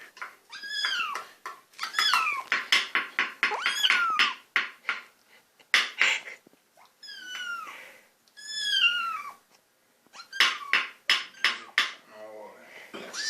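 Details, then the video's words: Hungry little kitten named Lucifer, teased indoors by its owners before being fed, meows insistently: rapid runs of high, sharp cries, many sliding downward in pitch, repeated in quick bursts with short pauses, over faint clinking dish sounds. "Hungry and noisy little kitten"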